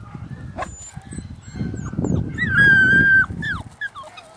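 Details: Puppies, with a high, thin whine held steady for about a second and then bending downward, plus short squeaks, over low rumbling handling noise and shuffling.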